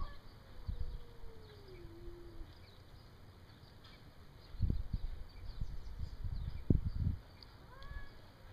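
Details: Standoff between a Bengal cat and an alley cat, with one trying to drive off the newcomer: a sustained low wail that gently falls and levels off, then scattered thuds and rustling, with a faint higher cry near the end.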